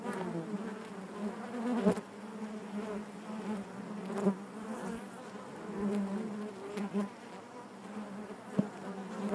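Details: Steady droning hum of honey bees within the hive, a continuous low buzz with layered harmonics and faint tapping clicks scattered through the short stretch.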